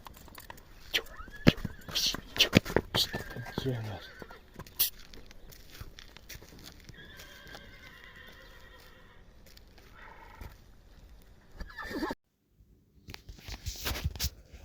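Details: Budyonny-breed young stallion, 1.5 years old and up for sale, gives harmonic, wavering whinnies through the middle of the recording, with sharp clicks and thuds, possibly hooves, before them and a brief silent gap near the end.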